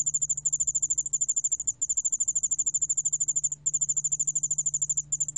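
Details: Yeoul-allak ground cricket, Korea, National Institute of Biological Resources, 2020: a high, quickly pulsed chirping trill in runs of about one to two seconds separated by tiny pauses, with a softer lower echo of the pulses and a low hum.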